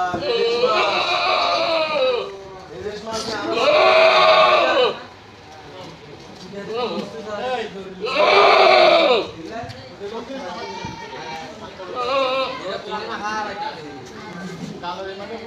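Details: Goats at a small market in Jaliljanj, Patharghata, Chattogram, sold for the 2021 Manasa Puja. Two loud, long, wavering harmonic bleats rise above steady crowd chatter and men talking in the busy outdoor market.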